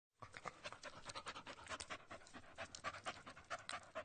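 An animal pants quickly and steadily, each breath a rough, breathy huff following closely on the last.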